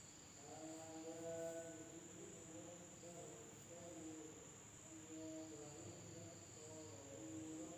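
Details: Night-time insect sound from a village in Indonesia, a constant shrill whine holding one high pitch, while lower, harmonic calls come and go in bursts, around one to two seconds long.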